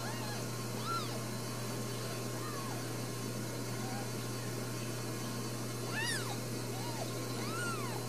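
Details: Newborn Ragdoll kittens, four new babies, at a home cattery in central Kansas. Soft arched mews come scattered through the clip, quiet and spaced, over a constant low electrical hum.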